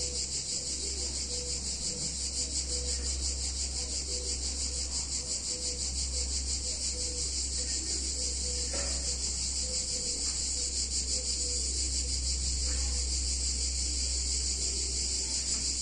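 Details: Summer cicadas in an Italian town keep up a loud, high, throbbing drone, regular and unbroken, while a faint repeated mid-pitched tone and a steady low rumble sit in the background.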